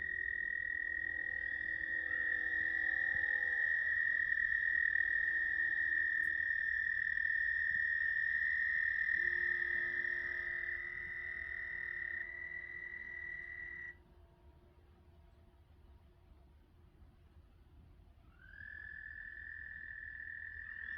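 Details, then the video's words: American toads give long, steady, high-pitched musical trills that run on for many seconds, recorded May 10, 2022 at South Point, Huron, Ohio. "American Toads sound effects."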